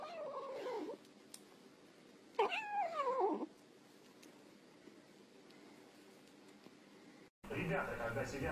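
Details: Kitten giving two clear meows a couple of seconds apart: the first is short and falls, the second is longer and wavers before dropping. A person then speaks briefly at the end.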